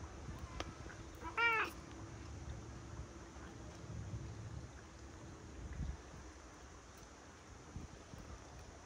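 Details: Big-headed, fluffy cat meowing as it approaches after rain, recorded 24 September 2023; one short, loud, rising-then-falling meow with clear overtones, then quiet outdoor rumble and light wind.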